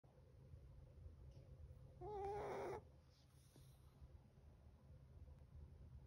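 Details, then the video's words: Chocolate, a 7-month-old Chihuahua, snoring loudly in its sleep: one short, loud, wheezy, whistling breath with a rising then steady tone, set in quiet low room hum. "7 month Chihuahua: Chocolate snores so loud."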